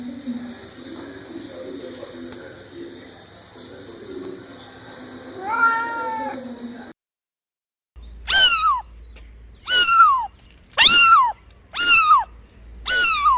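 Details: A cat's voice, described as angry, starts as a murmuring, drawn-out cry. After a short silence come five loud, falling meows, each repeated about a second apart.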